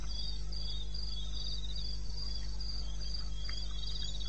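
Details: Crickets calling in the wilderness of eastern Botswana at 2:30 am on 21 May: rapid pulsed chirps in high overlapping bands, roughly four bursts a second, over a steady low droning hum.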